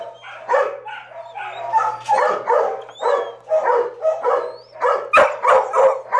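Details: Brindle female Mastiff at a full animal shelter in Texarkana, Arkansas, barking in a quick run of loud, hoarse woofs, about three per second, with a faint steady hum underneath.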